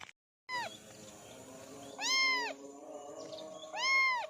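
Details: Kitten meowing three times, each call a clear rising-then-falling whine with strong overtones, spaced about one and a half seconds apart over a low background hum after a brief silent start.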